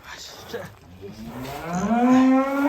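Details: Giant fattened cow being led out of its shed lows with a rising, swelling moo that grows louder toward the end, after a brief burst of men's voices.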